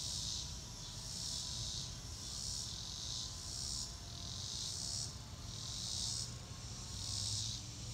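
Crickets chirp in a high, shimmering trill that swells and fades in pulses of roughly a second.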